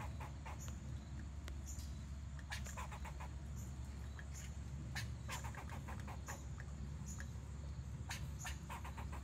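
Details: A squirrel in Springfield, Illinois, in what is described as a mating call, gives bursts of quick, dry clicking chatter over a steady low rumble.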